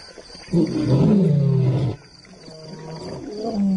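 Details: African lion letting out one loud, low, moaning roar of about one and a half seconds that slides downward, followed by quieter rumbling growls with a steady hiss behind.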